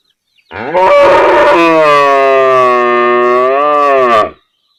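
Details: Village cow lowing in one long, sustained bellow of about three and a half seconds, rough at the start, then even and rich in harmonics, with a slight rise in pitch before it stops abruptly.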